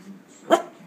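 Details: Single short, sharp bark from Bennie, a female pet dog jealous over food and bent on dominating treat time late at night, rising out of a quiet room hum, just after a person asks if the dogs want food.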